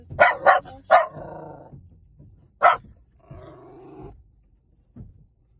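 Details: A dog gives three sharp barks in quick succession, then a drawn-out harmonic growling whine, one more sharp bark, another longer whining growl, and a faint final yip.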